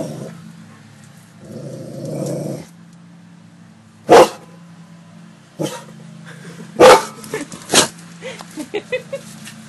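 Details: Domestic dogs, a cane corso named Gia and a bullmastiff named Deuce, barking on command and warning of something in the bushes: a rustling noise, then three loud separate barks and several fainter short sounds, with a low background hum.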